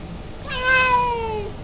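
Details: Siamese cat giving a single drawn-out meow lasting about one second, starting high and sliding slowly downward, with a rich stack of harmonics over a quiet indoor background.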